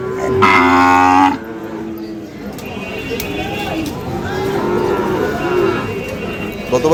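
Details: At Ambari haat in Parbatipur, Dinajpur, a Sahiwal bull calf on sale on 5 May 2025 gives a loud, drawn-out harmonic moo lasting about a second, followed by quieter lowing and market crowd murmur.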